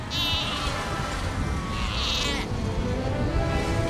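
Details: Australian fur seals call in a colony on Seal Rock, a rocky island site in Australia, with harsh bleating cries over a steady roar of surf.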